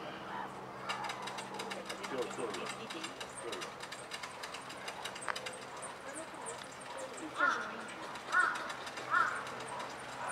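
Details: Meerkats, wary of a passing helicopter, give three short, sharp chirping alarm calls over a steady background of dry clicking and rattling.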